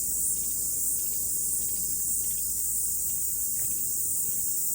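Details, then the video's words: Morning chorus of cicadas on a mountain after rain, a constant piercing high-pitched hiss that gently swells and pulses while staying unbroken, with faint background noise below. "Sounds of Cicada"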